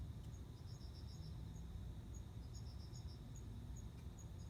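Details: Male cricket calling a female toward mating on September 29, heard as two bursts of five quick high chirp pulses separated by sparse single ticks, above a loud low droning background.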